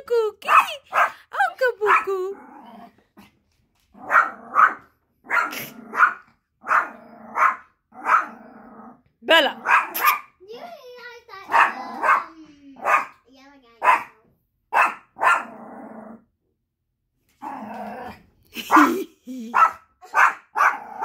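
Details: Female Chorkie puppy barking at her own shadow, repeated sharp barks about every half second in bursts with brief pauses, while a woman urges her on, speaking excitedly in Spanish and English.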